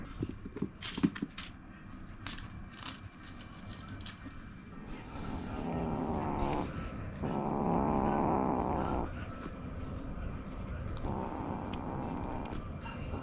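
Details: Short-legged male Munchkin kitten born June 2020, recorded indoors during his first month in a new home, giving soft, hoarse, near-silent meows; drawn-out raspy mews with a low purr-like rumble underneath, overall very quiet.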